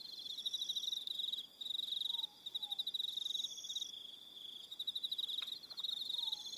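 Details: On New Zealand's Aroha Island at evening, many crickets keep up a high, rapidly pulsed chirring with layered tones, interrupted by short pauses, while a faint descending whistle sounds twice in the background.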